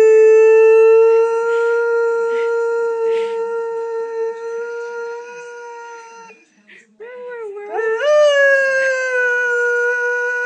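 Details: Pet lurcher indoors howling for his greyhound companion after she is taken for a walk without him, watching from a window: long steady mournful howl, then a brief break and a rising, wavering resumed howl; a person speaks softly beforehand.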